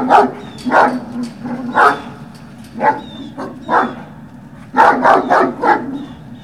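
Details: Puppy Hill, 18 November 2018, early afternoon: Great Dane puppies give scattered single yips, then a quick flurry of four or five near the end, over low hum and faint high whistled notes.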